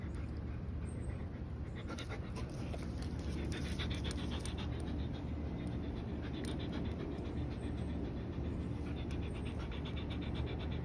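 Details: Rex, a 110 lb German Shepherd tiring while chasing a 50 lb Belgian Malinois named Mya, pants fast and hard, a run of breathy puffs through most of the stretch against constant low background rumble.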